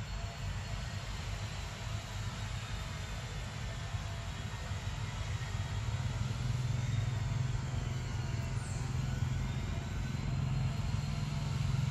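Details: Constant low rumble of passing vehicles with a faint high hiss throughout, and no calls standing out.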